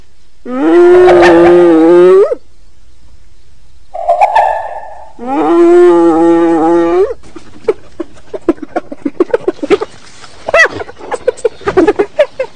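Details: Hyena giving two long, steady, harmonic moaning calls of about two seconds each, with a brief nasal note between, followed by a string of short, sharp staccato yelps and clicks at irregular intervals.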